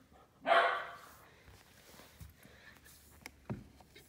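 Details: Silken Windhound barking at a bully stick: one sharp, loud bark near the start, followed by low room noise and a few faint clicks.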